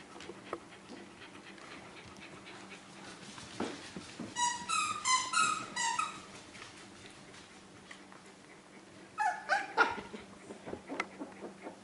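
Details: Four-week-old Australian Terrier puppies during socialization, giving bursts of high, squeaky yips and whimpers: a quick run of about ten cries mid-clip, then a shorter cluster near the end, with a quiet indoor hum between.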